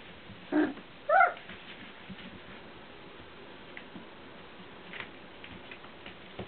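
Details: Four-week-old Welsh Springer Spaniel puppies indoors, recorded 27 December 2013: two brief high whines near the start, the second rising then falling with clear harmonics, followed by a quiet room with faint rustling and small clicks.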